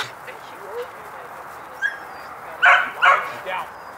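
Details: Border Collie barking at a herding clinic: three short, sharp barks close together near the end, with quieter background sounds before them.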